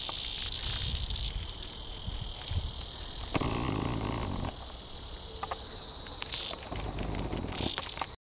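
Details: A Tibicen dealbatus cicada gives a distress call while a praying mantis eats it alive. Recorded August 3, 2010, at Sand Hills State Park north of Hutchinson, Kansas, in 106-degree heat. A harsh, continuous high buzz broken by ragged clicking pulses.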